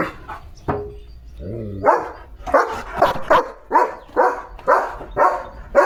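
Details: Leo, a German Shepherd playing in open countryside with his owner in rainy weather, starts with a short high whine and a brief falling moan, then breaks into a fast run of about nine loud barks.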